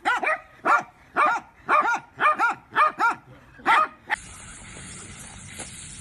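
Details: Miniature dachshund playing, barking in a steady series of about eight harmonic, rising-then-falling yaps roughly every half second, then the barking stops and a steady high hiss takes over.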